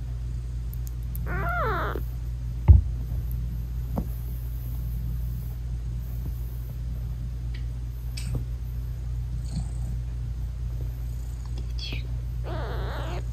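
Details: British Shorthair mother cat nursing her newborn, still closed-eyed kittens; two short, soft harmonic mews near the start and end, over a steady low rumbling hum, with a few faint clicks between.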